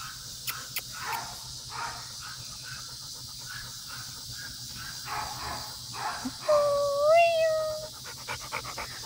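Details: A Labrador Retriever up for adoption gives a single drawn-out whine lasting about a second and a half near the end, following a spell of soft panting and rustling; faint background chatter is present.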